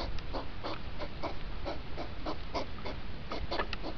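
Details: Rutting hedgehogs, sped up so two hours pass in five minutes: rapid, rhythmic huffing bursts, some louder than others, repeating several times a second above low background rumble.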